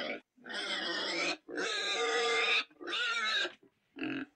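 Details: Pig squealing in three loud, strained bursts of about a second each, rich in harmonics, ending with a shorter, lower squeal.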